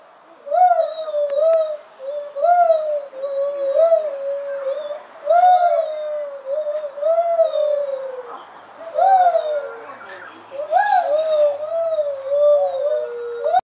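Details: Lar (white-handed) gibbons (Hylobates lar) at Mogo Zoo, Australia, very vocal on the visit day, give loud hooting notes that swoop up and down, repeated every second or two.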